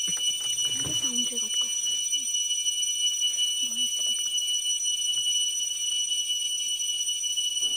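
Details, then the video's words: In deep Dooars forest, West Bengal, at evening, an insect gives a loud, unbroken ringing drone like a faint bell that never stops, at first mistaken for a bell. "এটি একটি পোকার আওয়াজ। শুনুন সেই পোকার আওয়াজটি।"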